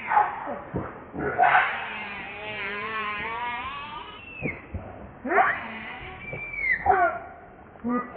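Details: Baby monkey Leo Rainbow crying and begging its mother for milk, clinging to her tightly; long wavering, harmonic wails rising and falling over several seconds, with shorter sharp cries in between.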